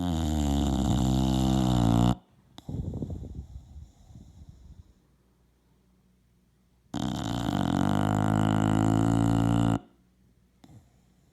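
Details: A 3-year-old English Bulldog sleeping deeply, recorded January 24, 2017, snores with loud, deep, rattling inhalations, each lasting a few seconds, with softer breaths between.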